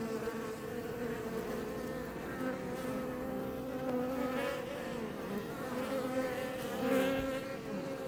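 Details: Apis mellifera iberica around a Langstroth beebox hive near Roquetes, Catalonia, Spain; even, many-layered humming drone, wavering pitches of individual bees rising and falling, one passing bee peaking near the end.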